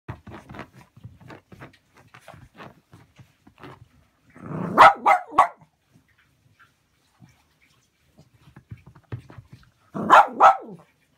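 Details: Cavalier King Charles Spaniel with Chiari-like malformation and syringomyelia. Sensory abnormality makes it bite its paws, dig at the floor and rub its muzzle on the floor. Soft scratching and clicking give way to two short bursts of loud, sharp barking.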